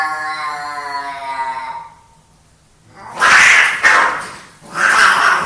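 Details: Male cats squaring off for dominance: a steady, rich-toned, drawn-out yowl lasting nearly two seconds, a brief pause, then explosive spitting hisses in loud bursts.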